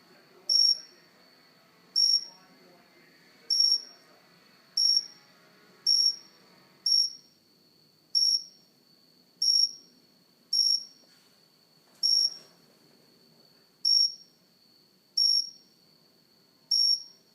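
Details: Cricket calling close up on a house plant indoors: short, high, bright chirps repeated roughly every 1.2 seconds throughout, with soft speech murmuring underneath during the first half.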